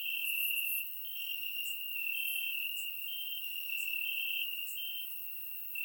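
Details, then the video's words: Warm summer night in Bulgaria with crickets chirping in the grass, surround recording: an unbroken high-pitched trill, a brief dip in volume near the start, then steady overlapping chirps from several insects. "Cricket Sounds - Crickets Chirping at Night"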